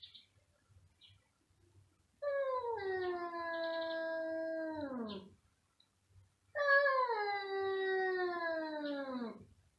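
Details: Two domestic cats meowing very loudly, giving two long drawn-out wails of about three seconds each, steady then falling sharply at the end, separated by a short quiet pause.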